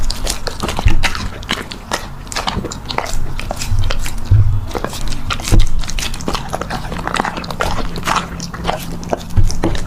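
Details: A puppy at mealtime, chewing loudly with dense crisp clicks and crunches, occasional deeper thuds, in a small room.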